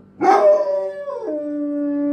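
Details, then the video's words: Five-year-old Doberman kept as a pet, howling like a wolf: a bright opening yip slides into a steady tonal howl that drops abruptly to a lower pitch and holds there until cut off. "Doberman Talking Like Wolf"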